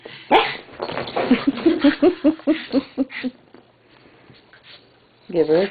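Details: A Shih Tzu and a pug, two small dogs, play together. A sharp bark opens, followed by a quick run of short, tonal yips and grumbles for about two seconds, then a pause and a final loud bark.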